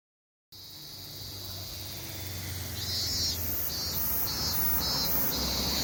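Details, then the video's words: Summer cicadas in town, a chorus beginning after a short silence and growing louder, high shrill buzzing broken into rhythmic pulses, over a low hum of distant traffic. "夏の風物詩 蝉の鳴き声"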